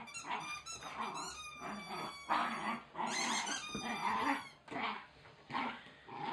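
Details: Oscar, a young Wire Fox Terrier, attacks his chicken toy indoors, grumbling growls running almost continuously while high, piercing toy squeaks cut in repeatedly near the start and middle.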